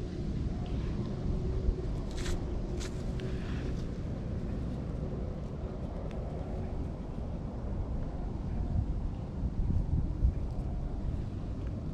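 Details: Steady low rumble of wind and distant traffic outdoors in a park, with a few faint clicks and no animal voices.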